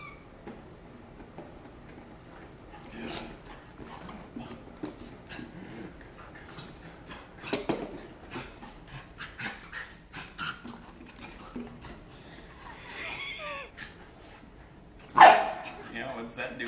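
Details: Labrador Retriever in Miami, a female meeting a new toy indoors: scattered soft whines and snuffling over quiet room noise, with one sharp, loud high yelp near the end.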